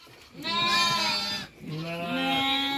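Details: Newborn lamb born at midnight giving two drawn-out, quavering bleats with rich harmonics, separated by a short pause.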